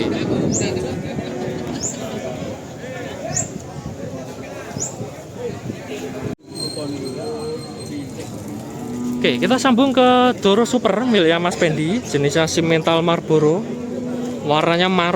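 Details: Simmental cattle, described as pure Australian stock, at the Kerek cattle market in Tuban, East Java. Drawn-out, wavering lowing calls rise in the second half over constant chatter from the market crowd.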